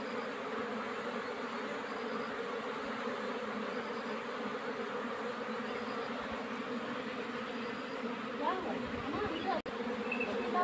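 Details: A steady, droning hum of many honey bees during the summer nectar flow, with a child's voice speaking near the end.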